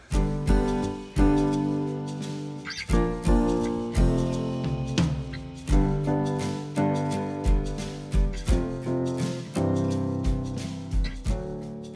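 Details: Plucked acoustic guitar music with jazzy strummed chords in uneven bursts fills the recording, with no audible animal calls.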